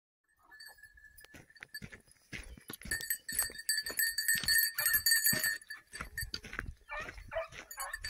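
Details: Basset Fauve de Bretagne hounds training on wild boar in an enclosed park in 2023 bark and yelp in quick, uneven bursts as they bay. A steady, high ringing tone runs underneath the barking.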